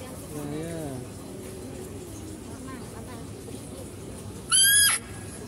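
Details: Zoo-kept female deer heard while a male deer is fed: a low wavering sound early on, then near the end one loud, sharp, rising squeal, brief and shrill, over steady background noise.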